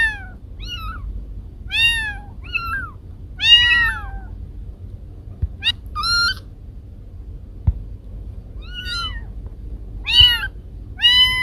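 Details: Two household cats, Kiko and Koko: a busy string of short, quick meows and chirps, some overlapping, rising and falling in pitch, with occasional clicks in the background.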